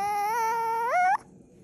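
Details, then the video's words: Puppy protesting bedtime indoors with a steady, nasal whine of about a second that climbs sharply in pitch at the end before cutting off into a quiet room. "Cute Puppy Whines"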